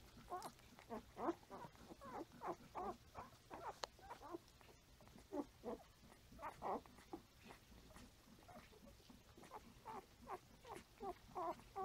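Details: Newborn Standard Poodle litter at five days of age, nursing and crawling, filmed 6/8/14; quiet, rapid overlapping grunts and squeals from several pups, about three a second, with one sharp click near four seconds.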